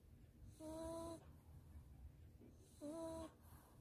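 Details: Maltese named Dubu, from Daechi-dong, asleep in its owner's arms after a warm bath, half-bath and blow-dry: two tonal, whistling snores, each about half a second, over a low background hum.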